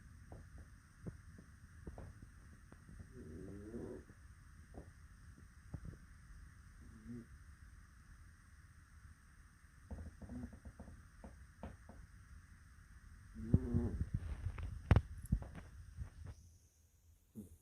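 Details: Jojo, a female Jack Russell Terrier pup, snores sweetly in her sleep on a quiet snowy Christmas evening in 2021. Soft low snorting breaths and nasal clicks come at irregular intervals over a steady hum, ending in a louder burst of rustling movement.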